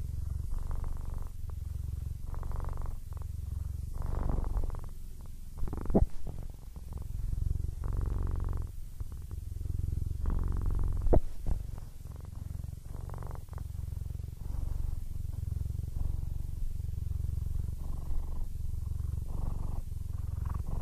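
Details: Aris, a male Siamese cat of 15 who is almost blind, purring contentedly. The deep pulsing rumble runs throughout with rhythmic breath cycles, and occasional faint clicks and rustles are heard.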